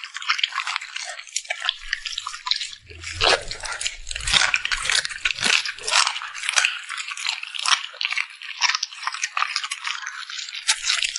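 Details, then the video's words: Puppy eating at mealtime, lips smacking steadily: a continuous run of bright, wet, crackly clicks with brief dull knocks early on and no pauses. "the sound of a cute puppy smacking its lips"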